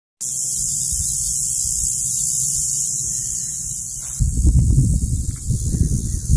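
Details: A California cicada, heard while hiking, gives a steady, high, hissing buzz that never breaks, with low rumbling wind and handling noise.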